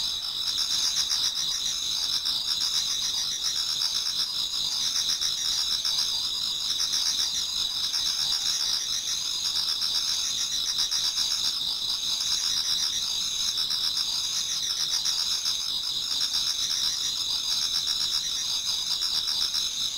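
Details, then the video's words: Autumn insects in a Japanese garden sing near dawn: an unbroken, shrill chorus of overlapping trills, with softer chirps pulsing roughly every couple of seconds in the background. "Autumn Insects voice Towards dawn"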